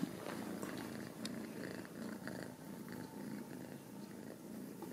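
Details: Ragdoll kittens, home-raised in central Kansas, purring in a close, pulsing low rumble with audible rhythmic breaths and a few sharp clicks.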